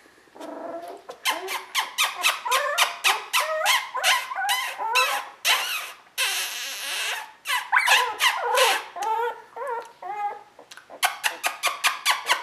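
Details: Border Collie litter, sable merle, Koda and Skye, 2014: continuous squeaky yelps and wavering whines, bunched in fast runs with a long drawn squeal near the middle and quick chirpy yips at the end.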